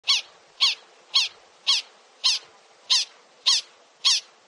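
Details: Prairie dog calling: eight sharp, high squeaky chirps, each a quick rising-then-falling note, repeated about twice a second at an even pace against a quiet background.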